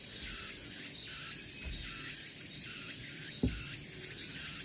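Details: Cicadas singing on the Deogeumsan Solbaram-gil in Namwon, August 16, 2019; shrill buzzing rises and falls in pulses roughly every second, with two brief low thuds.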